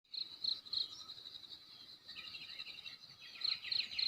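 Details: Cricket chirping on a morning at the west side of Belus Bikase village, Nekmese, Ki'e, South Central Timor, NTT: high, bright pulses repeated about four times a second in bursts, with soft bird twitters between them.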